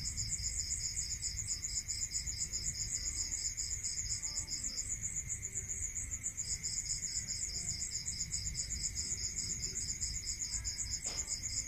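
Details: Night-time crickets in a rural area, with rapid high-pitched pulsing trains broken by one pause, layered on a continuous shrill buzz and a steady lower tone; a brief sharp click near the end.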